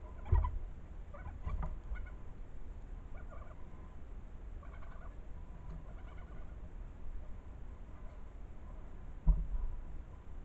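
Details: European badger cubs following their mother and playing as they climb on a tree, giving squeaky chattering sounds: faint, short harmonic squeaks in bursts every second or two over a steady background hiss, with a few louder knocks.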